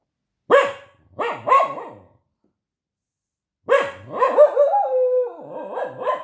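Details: A protesting, talking dog gives three short sharp barks, then after a pause a long wavering, whining vocalization with sliding pitch lasting over two seconds.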